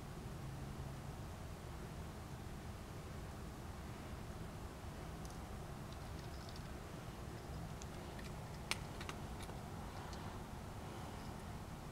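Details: Quiet indoor hum with a few faint clicks and taps near the end.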